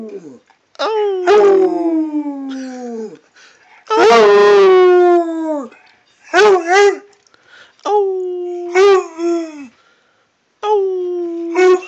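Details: Redbone Coonhound howling toward its owner, a series of six drawn-out, harmonic-rich howls, some with a wavering break in the middle, each sliding slightly downward and ending abruptly, with brief silences between.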